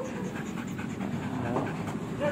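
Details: Belgian Malinois panting during a training session, a steady breathy rasp with faint rhythmic pulses, while a person gives commands such as lay down and stay.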